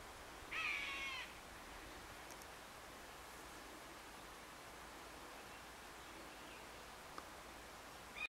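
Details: A roe deer gives a single harsh, hoarse bark at the edge of a wood on a late-July morning, followed by quiet woodland background.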